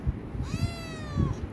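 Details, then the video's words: Himalayan cat begging for food, giving one drawn-out tonal meow that rises slightly, then holds and falls at the end, about a second long, with a person's voice calling softly before and after. "Himalayan cat urging food"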